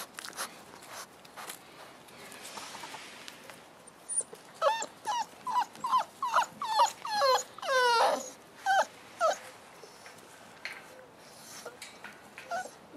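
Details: Boerboel pups, five weeks old, kept with mother Cleo, give a series of sharp, downward-sliding yelps after a quiet start, including one longer wavering whine, then fade to faint rustles.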